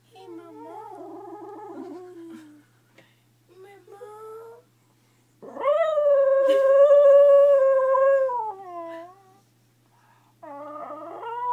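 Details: Dog singing while asleep: wobbly whining notes, a pause, then a long loud wavering howl that trails off, followed by more quavering whines; a person speaks softly nearby indoors.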